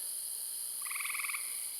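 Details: In a forest-garden at twilight going into night, as critters start moving, a tree frog, the loudest animal there, gives a rapid pulsed trill of about a dozen clicks over a steady high insect drone.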